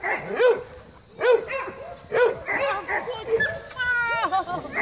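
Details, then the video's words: Domestic dogs greeting each other while playing. Short, high, arching barks come about once a second, and a string of whiny yips follows near the end. A person's voice is heard in the background. "Great Dog Greeting"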